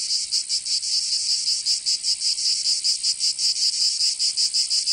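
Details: Provence cicadas in summer, southern France, producing a loud metallic buzz with rhythmic swells roughly three per second, the pulsing slightly uneven, nothing else audible.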